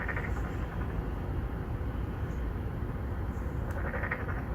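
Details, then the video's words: Narrow-mouthed frogs, three or four courting females in an apartment complex pond in Songdo, Incheon, Korea, recorded on a Galaxy Note9. Two short, pulsed, nasal calls at the start and near the end over a constant heavy low traffic rumble. "Narrow mouth frog 맹꽁이"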